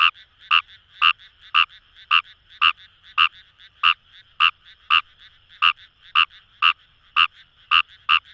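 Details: Fejervarya kawamurai (numagaeru) calling in paddy fields along the Kamo River, Itoshima, Fukuoka, Japan: short clicking croaks repeated about twice a second in a steady run, with a faint chorus of other frogs behind.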